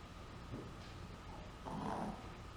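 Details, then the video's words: Sleeping Chihuahua snoring: a faint short breath, then a longer low raspy snore near the end. "Dog Snores"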